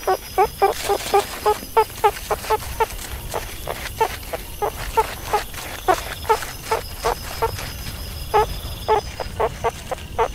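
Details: Meerkat giving a long run of short, clipped harmonic chirps, roughly two to three per second and uneven in spacing, over a steady faint background hiss.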